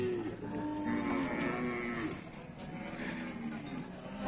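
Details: Cattle at the Pasar Wage Bumiayu livestock market in Indonesia: long, drawn-out moos with rich overtones, several animals overlapping, over steady crowd and market noise.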